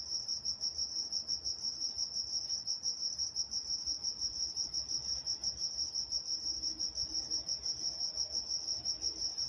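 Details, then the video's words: Steady high-pitched chirping of crickets after dark in Walnut, California, a fast even pulsing trill filling the whole stretch with little else heard. "Nature Sounds Night Time Crickets in Walnut, California"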